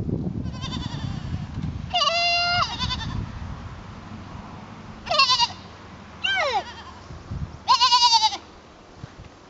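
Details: Herd goat Piper trying to fit in: four separate quavering bleats, each about half a second, spaced a second or two apart, after brief low murmuring at the start.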